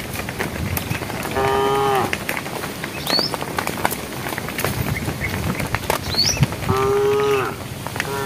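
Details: Cows in a herd, calling to the herd while walking on a road: two steady harmonic moos, about a second each, with scattered clicks and rustling noise between them.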